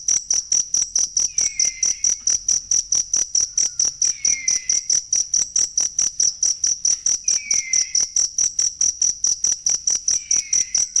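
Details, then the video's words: Cricket sound used as master audio for training songbirds: a steady, high-pitched pulsed chirping, about two pulses each second with ringing overtones, while a faint falling whistle returns every few seconds in the background. "ASLI SUARA JANGKRIK BUAT MASTERAN BURUNG"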